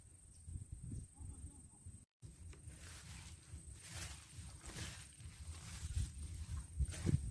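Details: Insects calling at a car-camping spot with an ocean view on Mt. Gulugod Baboy, Mabini, Batangas, Philippines: a steady, unbroken high-pitched hiss-like drone that runs throughout, over low wind or rumble and a brief dropout.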